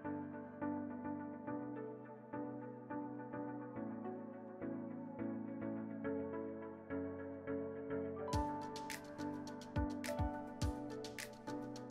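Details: Instrumental music with steady, evenly spaced piano-like notes, joined by sharp percussive clicks in the final seconds.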